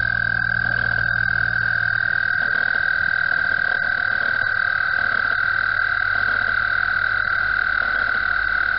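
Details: Frogs in a spring mating chorus at Mt Gretna, chirping so densely that they merge into one loud, continuous high-pitched ringing drone, with faint low background rumble throughout.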